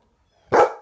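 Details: A 10-year-old Golden Retriever, eager to play first thing in the morning, gives one short, loud, full-toned bark indoors, clean silence before and after.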